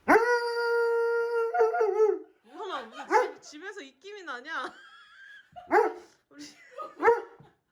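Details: Dobermann greeting a loved one who has come home after a year away; a long steady high whine opens, then wavering, yodelling whimpers and short yelps, indoors.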